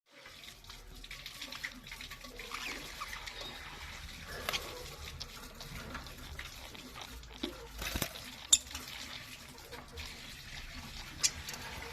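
Steady splashing, running water with a few faint clicks and knocks, and no clear animal voice.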